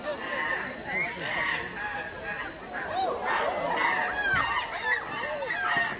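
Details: Chimpanzees fighting at the Los Angeles Zoo, giving a chaotic run of overlapping shrill screams and hoots that swoop up and down, some calls sharply rising, over a steady murmur of visitors' voices.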